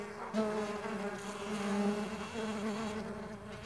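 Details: Flying Mandaçaia stingless bees give a continuous humming drone with many overtones. It swells slightly in the middle and its pitch shifts a little as individual bees move.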